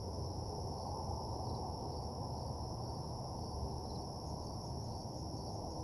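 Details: Crickets at night, set in a deserted parking lot: a steady, unbroken high insect trill with a fainter, higher overtone runs throughout, sitting above a heavy, constant low rumble of ambient noise.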